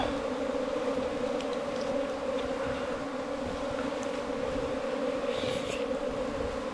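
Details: A steady, unbroken low hum from bees nesting inside a bamboo stalk 4 metres long, with a deep drone and a brighter overtone holding level throughout and no other sounds.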